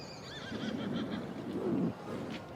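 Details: Welsh Cob foal with its brood mare: a high, wavering whinny that trembles and falls through the first second, then low rumbling breathy noise and a short snort against steady outdoor background hiss.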